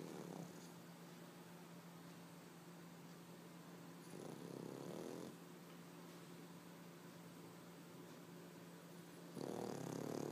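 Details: A sleeping 3-year-old white male Pekingese snores loudly in rough, rattling breaths about every four to five seconds over a low steady hum.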